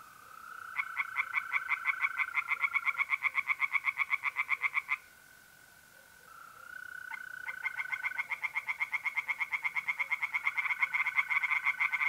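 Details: Night chorus of tree frogs in a north-east Italian pond, mid-April: long runs of fast rhythmic croaking, a brief pause, then renewed calling, with a sustained mole cricket trill underneath throughout.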